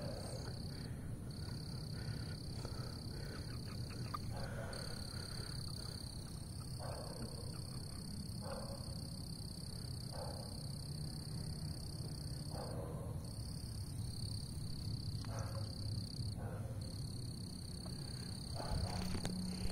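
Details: Repeated short grating croaks from a frog on someone's shoe, coming roughly every one to two seconds through the clip, with a constant shrill insect chorus and low background rumble.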